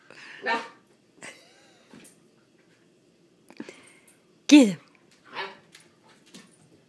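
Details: Playful puppies Willow and Coda letting out scattered short yips and squeaky whines, one loud sharp yelp standing out near the end, with quiet gaps between calls in a small indoor space.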